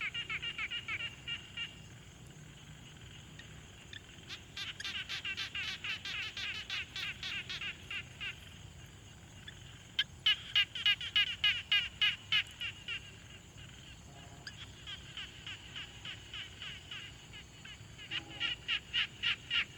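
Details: Quiet pond ambience with frogs, captured on a Tascam Portacapture X6: several overlapping callers give rapid trains of rattling, clicking pulses, growing louder around the middle, pausing briefly, then resuming in steady rhythmic runs over light hiss.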